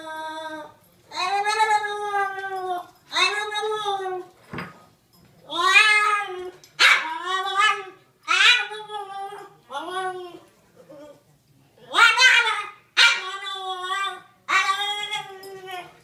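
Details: Charlie, a pet dog that 'talks' indoors, answers questions about chicken with a run of about a dozen short, tonal, whining howls. The rising and falling calls are separated by brief pauses, and a person's voice is heard nearby.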